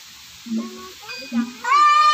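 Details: A siamang in a zoo gives its morning call: two deep, booming pulses, then a loud, rising, harmonic whoop.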